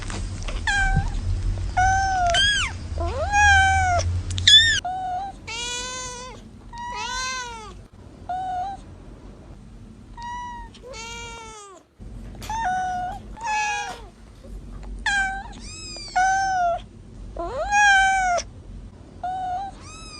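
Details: Several newly born kittens mewing insistently, high, arched cries repeated nearly once a second, some rising sharply, with a brief silent break near twelve seconds and faint low rumble early on.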